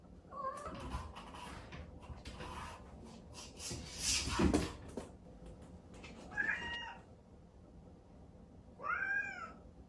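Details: Chatoran, a cream Exotic Shorthair kitten born 15 April 2019, cries indoors around dawn for its owner, shut out of the bedroom. The first half is household knocking and rustling, followed by two short, arched meows near the end.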